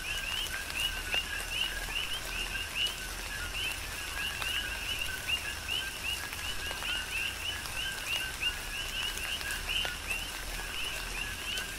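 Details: Coqui frogs chorusing during a tropical rain shower on the Big Island of Hawaii: many overlapping two-note calls, a lower tone followed by a higher rising chirp, repeated steadily throughout, with raindrops pattering in the background.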